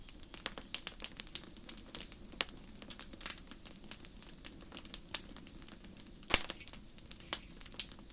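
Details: High, thin cricket chirps, each a quick run of pulses, repeat evenly through a starry forest night as a campfire pops and crackles, its snaps often louder than the insects.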